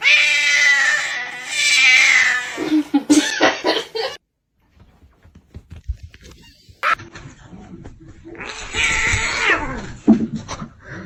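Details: Kitten crying with loud, high, sustained wailing meows, then a silent gap, followed by further shrill cries mixed with other noises.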